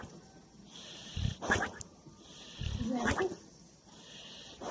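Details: Boxer dog asleep, snoring with a flappy lip: two rough snores about a second and a half apart, each a low rasping intake rising into a broader, harsher breath, over a steady background hiss.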